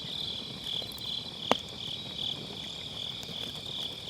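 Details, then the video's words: Grass insects on an autumn night, recorded by a round fire pit campfire with an MKE600 microphone and low cut; steady high-pitched trilling chorus in gentle pulses, a soft low fire rumble and one loud log crack. "가을밤 풀벌레 소리"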